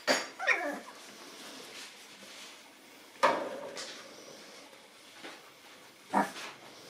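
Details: Nine-week-old Boston Terrier puppies indoors meeting a new toy; a few high whining yelps with falling tails, spaced several seconds apart over a quiet room.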